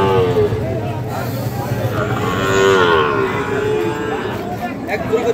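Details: Fattened Sahiwal bull calves at Ambari haat cattle market, Dinajpur district, on 24 November 2025: a drawn-out, harmonic moo swells and bends near the middle, over steady crowd chatter and traders bargaining over prices.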